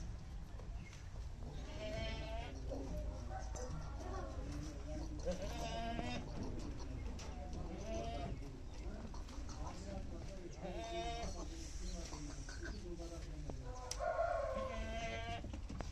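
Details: Big heavyweight Punjabi Beetal bakra, a male goat 44 in height and weighing 115 kg, offered for sale. It gives about four wavering, nasal bleats with harmonics over sixteen seconds, near 2, 6, 11 and 14 seconds, while men talk throughout.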